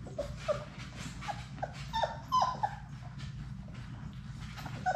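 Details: Six Labrador Retriever puppies at play in their play room, letting out short high yips and whimpers that bend up and down, scattered across the clip with brief louder squeals, over a steady low hum.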